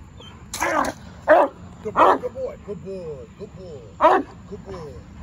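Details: Presa Canario named Ghost at his first training session, building defence drive: four loud, harsh barks at irregular intervals of about a second or longer. A man's voice talks between the barks over a low background rumble.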